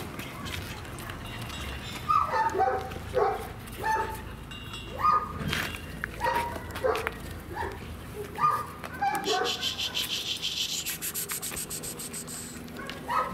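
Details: Young German Shepherd puppies, three months old, recorded in Odesa, Ukraine. Short, pitched yips and barks repeat roughly every second. Speech is heard in the background, and a hissing noise comes in near the end.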